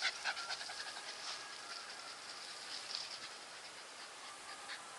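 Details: Nikita, a Staffordshire Bull Terrier, panting softly: a quick run of breathy, hissy huffs, each brief and airy, repeating steadily with no voiced tone and nothing else clearly heard.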